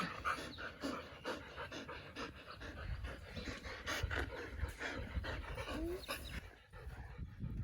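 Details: Pet Siberian Husky, one of three named Cookie, Bearry and Happy, at New Year 2022. Fast, steady, breathy panting throughout, roughly two to three breaths per second, with a brief voice in the background.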